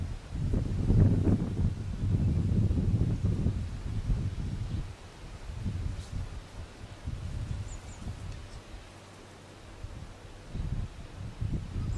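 Low rumbling wind and rustling leaves fill the recording, with no clear animal call standing out.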